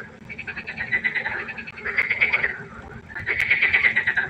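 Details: Frogs croaking together at night beside a pond, a dense run of fast, rattling pulses that swells and fades in waves, with a soft continuous hum in the background.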